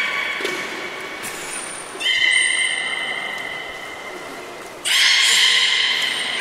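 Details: Beluga at Port of Nagoya Public Aquarium on 11 August 2018, during a pool transfer while keepers tried to swap Nana and Hodoi. The clip has steady whistled tones, a thin very high whistle, then a louder harmonic burst near the end over room noise.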